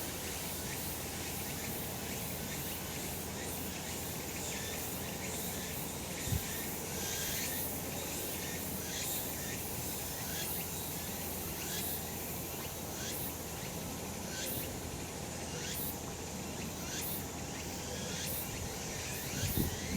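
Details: Cicadas calling on a summer mountain in sunshine, high buzzy pulses repeating roughly every second over a steady dense hiss of background insect noise, with occasional soft knocks.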